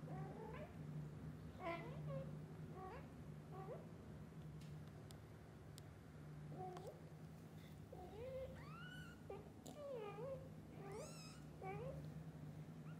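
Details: Kittens pleading with their mom cat to go play outside as soon as they wake up; many high, bending mews come in quick irregular succession, growing denser and louder in the second half, with a low steady hum underneath.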